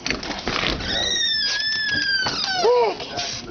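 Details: Pug named Otis, excited as his owner comes home; drawn-out high whining squeal that wavers and then dips, mixed with a person talking to him indoors.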